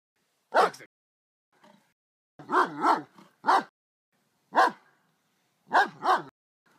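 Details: German Shepherd barking in its yard at a raccoon that came in and ignored the barking, in broad daylight: loud, sharp barks, singly and in quick doubles, spaced about a second apart.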